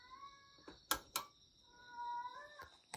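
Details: Male rescue cat Satchan, born spring 2019, meowing late at night indoors in Shiga, Japan, after scratching at a glass door; two drawn-out harmonic meows, the second longer and steady, with sharp clicks between and a steady cricket hum behind.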